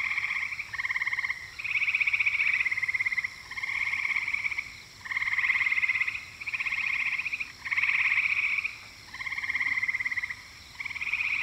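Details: Eastern gray treefrog giving a run of rapid pulsed trills, each lasting around a second, following one another almost without pause, a rattling musical chain with a quiet background.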